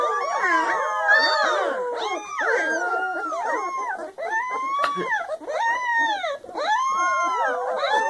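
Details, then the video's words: A litter of 3-week-old puppies, just discovering they have a voice, howl together in an overlapping chorus of wavering, rising and falling high-pitched howls, with short dips in the chorus around the second, fourth and sixth seconds. "Puppy Litter Howl!!"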